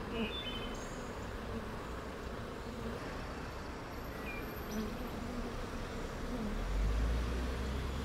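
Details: A rescued western honey bee (Apis mellifera) swarm, newly placed in a rooftop sanctuary in June, gives a dense, steady, low droning hum, with faint chirps above.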